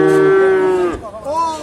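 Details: One Simmental calf at the Sukorejo animal market in Kendal gives a loud, clear, sustained moo that falls at its end, followed by a short rising call.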